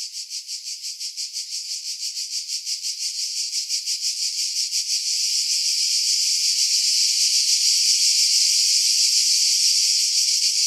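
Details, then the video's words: Cicadas singing in pines about 50 m above the sea, Pefkos Bay, Skiros Island, Greece, July 2018; a shrill rasping buzz that starts as quick even pulses, swells in loudness and merges into a continuous high drone. "Cicada Sounds, July 2018 Skiros, Greece"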